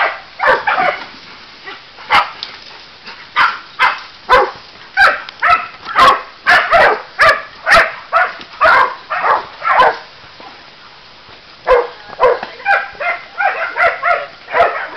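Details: Sealyham Terrier in Dobšiná, Slovakia, barking steadily: short, sharp barks repeated about twice a second in irregular runs, with a brief pause before a final flurry of quicker yips.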